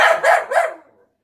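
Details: Pet Golden Retriever Collie mix losing it over a freshly picked garden zucchini, giving three rapid loud barks run together within under a second, then falling silent.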